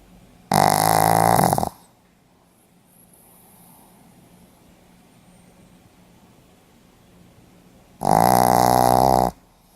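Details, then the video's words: Pomeranian dog snoring in its sleep, recorded 4 November 2015: two loud, rasping snores, each about a second long and about seven seconds apart, with near silence in between. "ポメラニアン 犬のいびき"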